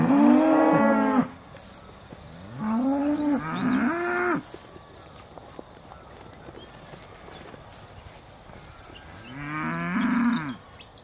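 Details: Aussie Red dairy cows at Beaulands, December 2012, mooing just before milking: three loud, drawn-out harmonic moos, the first lasting over a second, with quiet pauses between calls.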